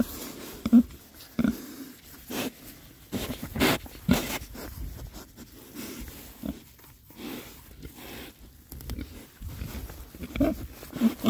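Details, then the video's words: Oxford Sandy and Black pigs, a group of six rare-breed boys on a winter forage between storms, grunting now and then in short low bursts among rooting and crunching sounds. "rare breed Oxford Sandy and Black, happy pigs, winter forage. 6 boys. ASMR oinks."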